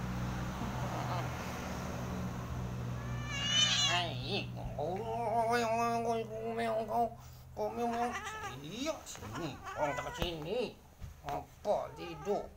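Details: Pet cat meowing while being scolded: a high, strained mew, then a long, wavering, whining meow, followed by a person talking in Indonesian with a few shorter mews between the words.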